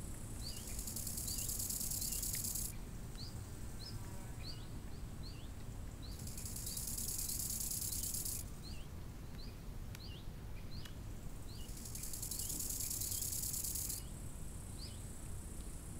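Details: Crickets by a lake in summer: a shrill, high hiss rising in long bursts of about two to three seconds, with quieter stretches between, while small birds give short, high, repeated chirps over a steady low rumble of wind.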